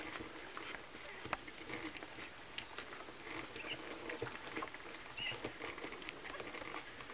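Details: Milk feeding of Kromfohrländer puppies: continuous wet smacking and clicking from suckling, with a short thin squeak late on, in a quiet small room.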